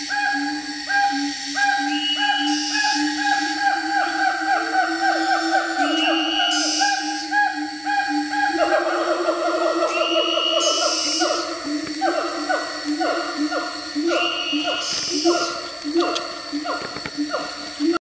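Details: Siamangs in Bukit Barisan Selatan National Park, Sumatra, give a counter call of loud, rapidly repeated barking notes, with insects buzzing high behind them.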